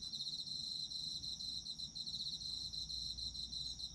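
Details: Steady shrill insect chorus of autumn, a rapid pulsing high-pitched trill with quick even beats running unbroken, over soft low rumble, presented as a sleep aid.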